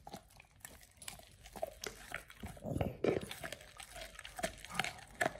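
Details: Oliang, a Pit Bull, crunching through a raw ostrich paw for the first time: quick irregular bites and crackling with a low rumble-like thump in the middle, indoors.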